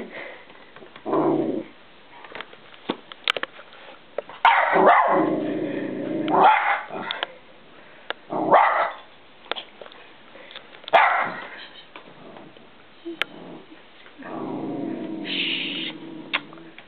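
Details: Indoors, a 10-month-old West Highland White Terrier named Millie barks at a balloon she is playing with, giving scattered short gruff barks and growly bursts between quiet gaps, with light rustling and thumps.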